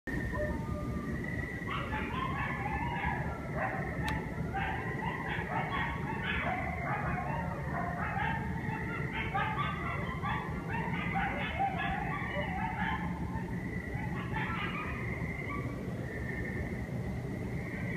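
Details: Chorus of many coyotes, said to be part of a growing population near Westerly, overlapping yips and wavering howls across the whole stretch, a dense tangle of high quavering calls over a steady low rumble of background noise.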